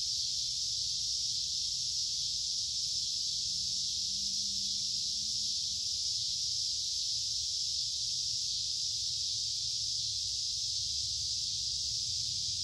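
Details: Summer cicadas keep up a continuous shrill buzzing drone without pauses, while a soft low hum sits in the background throughout.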